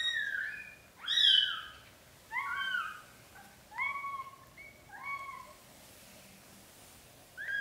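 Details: Newborn British Shorthair kittens while their black golden mother cat carries them into a small nest. About six thin, high-pitched mews rise and fall at irregular one-second gaps, with a loud squeal near the start.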